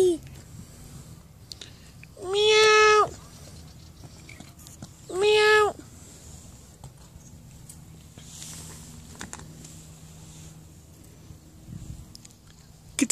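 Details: Super friendly, cuddly black and white cat on a road meowing: two clear, drawn-out rising-falling meows about three seconds apart, each lasting under a second, over faint outdoor background noise and distant voices.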